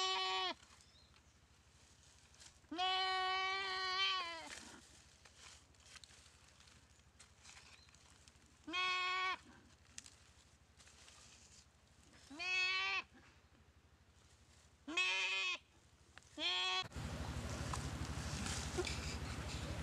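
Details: Goat eaten alive by a Komodo dragon in the dry river of Komodo Village after being paralysed by its bite; about six bleats of varying length, some brief and cut off, ending in loud rushing noise.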